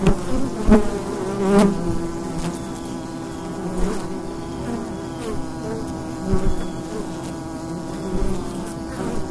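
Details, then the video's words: A steady, low droning hum of many bees buzzing together, with a few faint knocks, recorded in the daytime in fall at the entrance to a wild beehive. "Wild Bee Hive in the Daytime - ambient sound and mushrooms"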